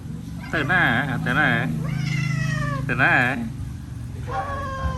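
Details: Hungry domestic cats fed rice meow loudly and insistently, several wavering, warbling cries in quick succession, some long and falling, over a low background hum and Khmer voices.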